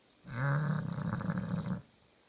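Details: Kenta, a pet Bulldog, sleeping soundly and snoring: one long rough, rumbling breath lasting about one and a half seconds, low and throaty with a buzzing rattle, in a quiet room.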